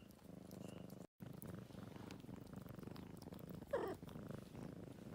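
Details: A former stray, now an old adopted male cat, purrs low and steady while grooming in Greenhouse Cafe, Tagaytay, with a brief gap early on and a short louder rasp near the fourth second.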